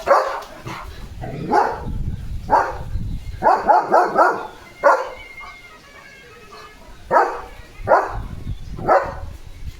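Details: Leo, a German Shepherd dog, barks repeatedly while soaking wet in the rain. Loud barks come in bursts, including a fast string of four, and a person speaks in Marathi between them.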